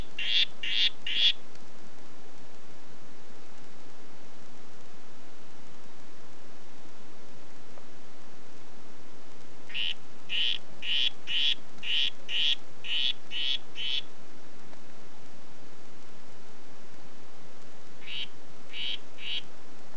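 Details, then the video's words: Red Head form of Oophaga histrionica producing bursts of short buzzy notes: three at the start, a run of about nine near the middle, and three more at the end, separated by long quiet gaps. "Oophaga histrionica "Red Head" Ruf"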